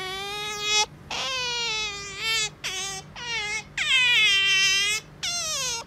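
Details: Indoor pet otter loudly begging its owner for petting: a series of long, piercing, harmonic wails, several falling at the end, with short silent breaks between the cries.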